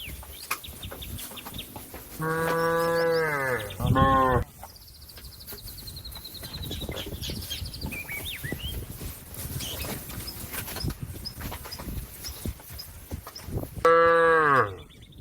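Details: Cow calling to a companion grazing in the field: a loud, deep, harmonic moo near the start that breaks into a second short bellow, then quiet with faint chirps and rustling, and another strong moo at the end.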